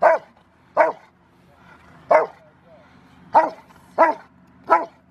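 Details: Five-year-old male River v Schwarzerwald barks during a training session on January 20, 2020, ahead of his ZTP trial. Six loud, punchy barks come at uneven intervals of about one second, with little else around.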